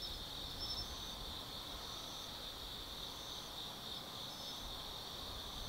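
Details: Autumn insects singing at night in the forest at Tsukimi no Mori, Kaizu, Gifu Prefecture, Japan, above the Nobi Plain: a dense, steady high-pitched trilling chorus with faint repeated pulses over a soft low background rumble.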